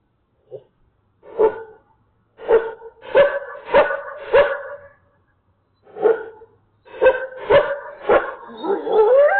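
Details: Coyotes freaking out: a run of sharp, harmonic-rich yips and barks in uneven bursts, with short gaps between groups and a rising wavering howl at the end.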